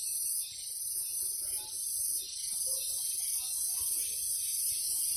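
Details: Morning chorus of cicadas in a garden, a dense, steady, high-pitched buzzing hiss with slight rhythmic swells, several insects calling together without pause.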